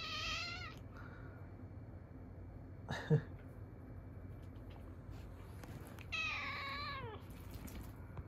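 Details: Domestic cat indoors, reacting with maternal instinct to a kitten's meowing. Two soft, falling meows are heard, one at the start and one near the end, with a brief clatter and low room noise between them.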